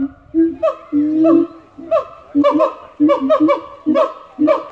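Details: Group of three zoo siamangs in Australia giving a territorial chorus: a long sustained low boom, then a quickening run of sharp barking whoops, several in quick pairs, loud and resonant.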